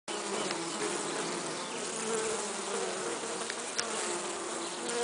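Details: A honey bee carrying pollen; a steady, droning hum of wings, low and even throughout.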